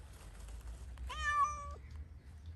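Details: Cat out playing in Pushkin Park lets out one drawn-out meow that rises and then holds level before dropping off, over low background rumble; a person speaks just afterwards.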